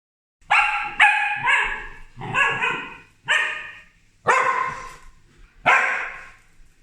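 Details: Two corgis bark at a helper working nearby, in sharp, harmonic-rich bursts repeated roughly every second, some doubled.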